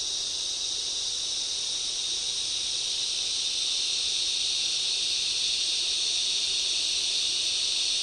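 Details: Loud cicada chorus in a summer rainforest, a continuous shrill buzzing wall of sound with slight pulsing swells, steady in loudness throughout, nothing else clearly heard.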